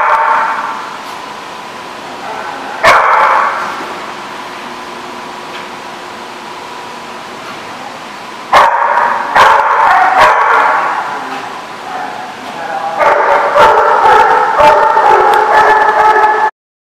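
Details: Dogs barking at an outdoor dog park, recorded on 23 January 2016; loud bursts of harsh barks from several dogs around three, nine to ten and thirteen to sixteen seconds, with quieter background chatter between.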